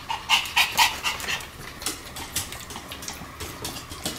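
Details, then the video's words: Sam the Pomeranian yapping continuously as he spins fast, bright high barks in a rapid cluster at first, fading to lighter repeated yelps over ticking floor noise. "超高速回転 ポメラニアン サムの連続吠え"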